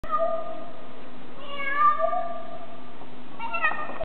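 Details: Domestic cat in Paris meowing: two drawn-out, wavering tonal meows, the first rising then sliding down mid-clip, a shorter, brighter one near the end, over a steady low hum.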